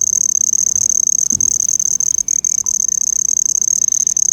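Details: An insect gives a high, shrill, cricket-like chirping trill that pulses steadily without a break, though the owner says it is not a cricket.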